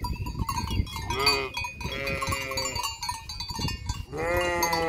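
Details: Flock of sheep near the disused hotel at Fürigen; short overlapping bleats from several animals, a longer strong bleat at the end, with bells jingling and trampling in the background.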